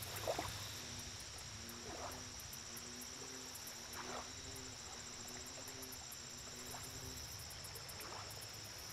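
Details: American bullfrog by a lake giving a long series of low, humming, slightly throbbing notes, each about half a second, closely repeated, under a continuous high chorus of crickets and soft water noises.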